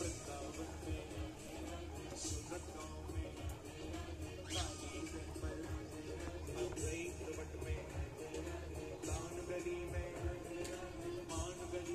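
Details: Background music plays under some faint speech, with no animal sound heard.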